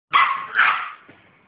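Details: Dogue de Bordeaux, a female showing attitude, gives two quick hoarse barks back to back, loud and broad with energy centred in the mid range, then fades to quiet.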